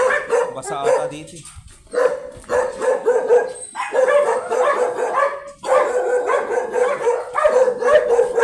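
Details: Chocolate teacup Pomeranian dog during stud service in Pugaro, Manaoag, Pangasinan, Philippines, barking in dense, rapid strings of shrill yips broken by brief gaps, with some background voices.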